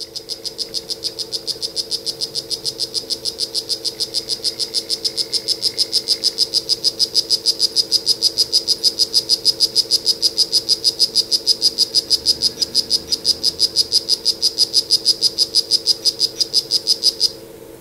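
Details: Strawberry poison dart frog of the Isla Solarte form calling: a rapid, evenly repeated series of short high buzzy chirps, about three per second, steady for some seventeen seconds and growing slightly louder before stopping abruptly.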